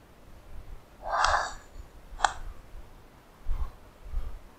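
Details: Common brushtail possum, an invasive pest in New Zealand, recorded at night with a thermal camera during a culling operation in a public park: one harsh, raspy growl burst, then a sharp short rasp, followed by fainter rasps over low rumbling background noise.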